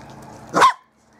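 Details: A single loud, sharp puppy bark, quickly cut off, from Bearded Collie puppies of the M litter at play on a roof terrace; quiet afterwards.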